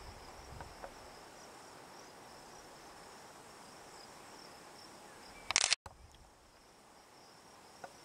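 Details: Hadoa inaudita cicada, formerly Tibicen inauditus, buzzing on a juniper tree in Picket Wire Canyon, southeastern Colorado, at 4622 ft elevation on July 9, 2009, around 8 PM; steady high hiss throughout, broken by a brief loud click near the end.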